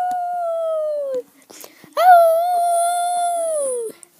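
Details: Maisy the dog 'talking', her voice said to sound like 'Ralph': one smooth, steady howl-like tone dropping at its end, a short pause, then a second longer tone that swoops up at its onset.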